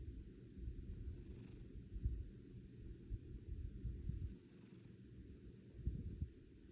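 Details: Female domestic cat purring like an engine up close: a continuous low, grainy rumble with slight irregular swells and a few soft thumps, steady for the whole stretch.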